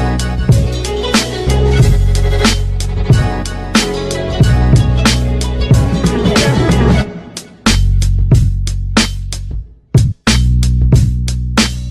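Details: Upbeat hip hop style music with steady beat, bass and guitar, with brief drops to near silence near the end.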